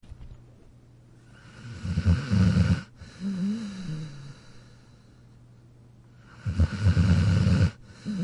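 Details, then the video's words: Jack, a pet dog asleep in his dog bed, snoring: two loud rattling low snores about four seconds apart, each a harsh inhale, with a softer wavering exhale between them. "Jack Sleeping & Snoring in his Dog Bed"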